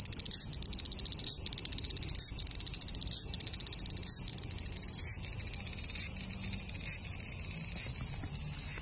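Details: Large brown cicada (Graptopsaltria nigrofuscata) singing at 21 degrees: a loud, high, sizzling buzz broken by brief dips about once a second.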